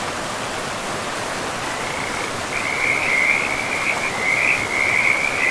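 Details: Frogs calling by a river in a pristine forest: steady rushing water at first, then from about halfway a dense, trilling frog chorus rises as a continuous high band, growing louder above the broad water noise.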